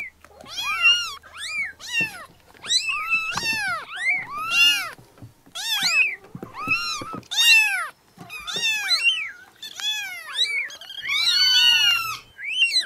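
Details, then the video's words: Many tiny newborn kittens crying together: a dense, near-continuous stream of short high arched mews, each rising then falling, overlapping one another throughout. "Meowing Sound Compilation 2023 | Listen Cute Newborn Kittens"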